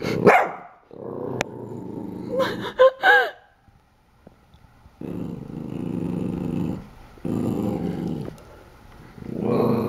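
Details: Pool Noodle, a young corgi scared of a corgi-decorated mug, alternates long rumbling growls with a burst of short yips and barks, the growls holding steady for about two seconds each between pauses.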